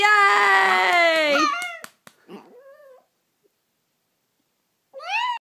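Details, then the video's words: Indoors, a five-year-old Chihuahua sings along to Christmas music, encouraging a Yorkie to howl as well. A loud, quavering, high howl slides downward, breaks into short yips and whimpers, then falls silent before a brief rising cry. "Chihuahua singing Christmas Carols"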